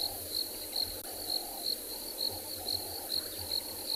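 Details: Crickets on an afternoon safari drive in a South African private game reserve, 22 December 2020, summer thunderstorm season; a high, clean chirp pulses about twice a second, steady and even, over a low rumbling hum.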